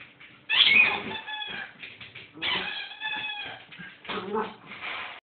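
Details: Bedlington Terrier puppy, four months old, in a sudden wild mood racing around with toys; three bursts of harmonic whining, yelping vocal sounds about two seconds apart, the first loudest, with faint low rumbling between.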